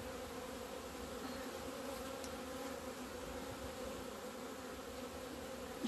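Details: On 17 February 2020 honey bees finally fly out to the sun after two months of winter; a steady, deep hum of countless wings, with a brief faint click partway and a bump at the close.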